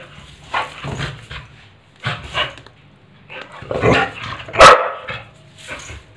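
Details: Loud, close barking from a pit bull dog playing with a broomstick: sharp yelping barks and growls in irregular clusters, the loudest near the end, then quieter scuffling.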